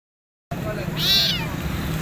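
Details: A starving stray kitten with burnt hair and a wounded mouth, rescued while searching for food, gives one loud, high, rising-then-falling meow over a low droning engine hum.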